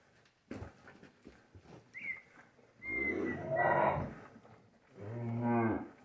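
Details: Dairy cows and their suckling calves in a morning corral at hand-milking time: a few knocks, then a long drawn-out moo, a pause, and a second shorter, deep moo.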